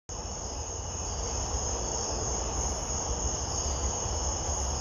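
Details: A katydid on a summer night gives a steady, high, loud rasping buzz, stridulating by rubbing its wings together.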